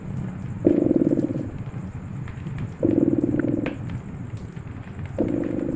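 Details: Cat purring by a crackling fireplace, the deep rumble swelling in roughly one-second surges about every two seconds, with quieter gaps filled by popping embers and a thin constant high tone.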